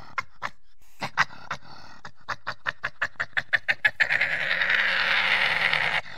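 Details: Badger giving a series of short, sharp, pulsed huffs that speed up over about four seconds, then run into a steady breathy rasping hiss for two seconds before stopping.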